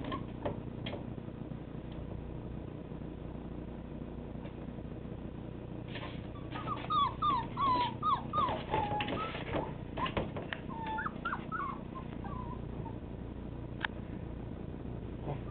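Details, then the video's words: Siberian Husky puppies between one and five weeks old, recorded November 2009, give a run of high, wavering whimpers and squeaks around the middle of the recording, rising and falling quickly, over a steady low hum and soft rustling. "Chena Pups 1 to 5 weeks"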